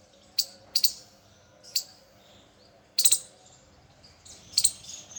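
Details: Unfiltered squirrel calls: a few short, sharp, high chirps, some in quick doubled pairs, spaced irregularly with quiet gaps between them.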